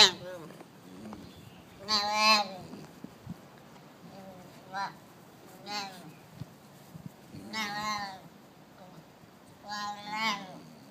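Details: Baby Arabian oryx chatting: four short, nasal, tonal bleats with a slight waver, spaced roughly two to three seconds apart over a quiet background.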